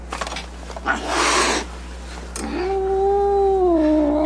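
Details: Angry cat letting out a sharp, breathy hiss burst, then a sustained, low moaning yowl that holds steady before dipping slightly at the end.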